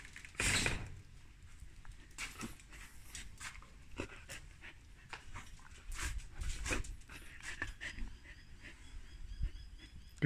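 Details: A hungry Samoyed feeding on lamb, with short breathy pants and smacking bursts at irregular intervals. A loud burst comes near the start, then quieter puffs and chewing follow.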